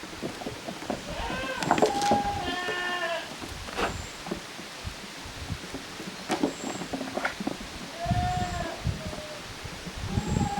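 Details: Goat kids playing in two groups in a farm exercise yard in Japan, June 2023: a few quavering bleats, mostly near the start and near the end, among scattered clicks, thumps and movement noise.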